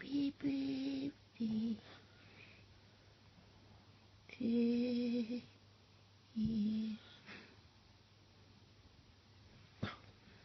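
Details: A female Boston Terrier "sings" for a 70th birthday, giving short, tuneful howls, each held steady for under a second before breaking off.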